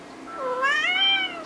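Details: Pet cat begging for food, giving one drawn-out meow about a second and a half long that rises, then slowly falls, with rich stacked harmonics over a quiet background.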